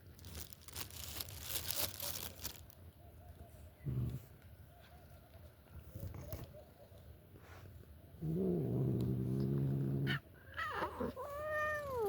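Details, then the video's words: Pet cat eating and making odd sounds indoors: scattered chewing and crunching clicks, then a low droning growl lasting about two seconds, followed by a short rising-and-falling meow-like whine near the end. "makes strange noises while eating"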